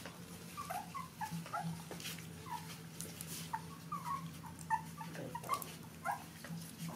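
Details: Baby puppies standing up to suckle milk from their mother dog, giving soft, short, squeaky whimpers that come in scattered bursts of little rising and falling squeals, over faint clicking and a steady low hum.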